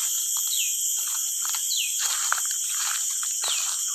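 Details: Crickets calling jhinjhin inside the Madhupur sal (gajari) forest: a continuous high shrill buzzing drone in steady bands, with brief descending bird notes repeating about every second and a half over it.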